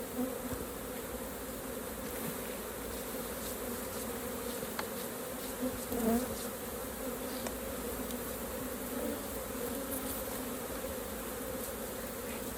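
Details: Honey bees at their hive during a raw honey harvest by beginner beekeepers: a steady, droning hum with a low fundamental and layered overtones that holds unbroken throughout, with occasional faint clicks and knocks from handling.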